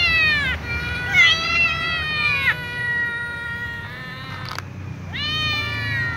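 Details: Little ginger cat and young white cat, among other cats, meowing loudly to ask for food: drawn-out, harmonic meows, some long and slightly falling, given in four bouts with short pauses between them.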